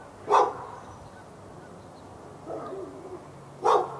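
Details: A dog in Raleigh, North Carolina, on February 15, 2012, barking for hours at the neighbouring dog. Two loud single barks stand about three seconds apart, with a low moaning whine between them.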